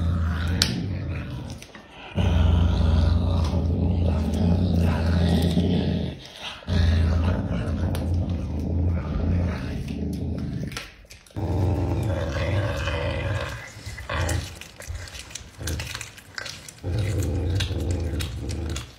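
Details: Pumba, a pet caracal, growls over a meal of meat: deep, sustained rumbles lasting several seconds each, broken by brief quiet gaps, with faint chewing and room noise.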